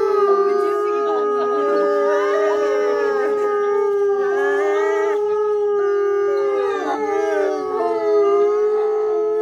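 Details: Captive wolves at Asahiyama Zoo, Japan, howling in chorus: several long, steady, mid-pitched tones held for seconds, overlapping with wavering, sliding voices that rise and fall against one another.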